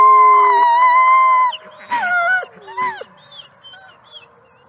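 A wolf gives a long, steady, tonal howl, followed by shorter howls that slide downward in pitch.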